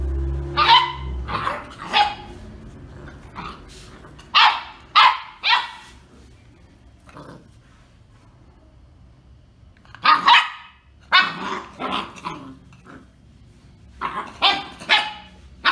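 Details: Female German Shorthaired Pointer puppy, filmed at home within her first two months, giving bursts of short, sharp yappy barks in clusters of two to four, separated by quiet pauses, with a person scolding in Spanish nearby.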